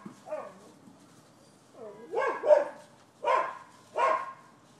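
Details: Neighboring dogs at a Florida property, December 2015, complained of as a nuisance. Soft whining, wavering sounds open the recording, then a cluster of two or three sharp barks, followed by two louder, evenly spaced barks.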